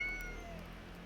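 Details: Domestic cat belonging to an eel restaurant owner, outdoors at night on her property in June, with a voice resembling another cat named Kuri; a single short meow with a high falling tone, low steady background hum.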